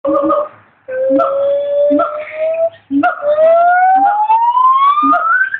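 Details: A white-cheeked gibbon at a zoo in Arizona gives long, pure, whistled notes that slide steadily upward in pitch.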